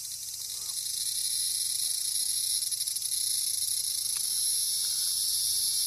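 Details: Cicadas calling loudly close by in Japan as a cat chases toward them: a dense, continuous high-pitched shrill buzz without pause, steady throughout.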